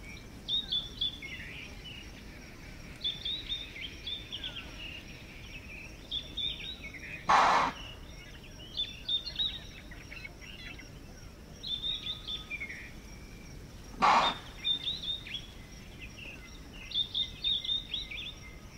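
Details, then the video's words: In the South African bush of Manyeleti Game Reserve, an impala snorts loud, explosive alarm chuffs at a nearby predator. Two short blasts come about seven seconds apart over a constant background of chirping, twittering birds. "Impala Alarm Call - The sounds of Impala calling in response to a predator"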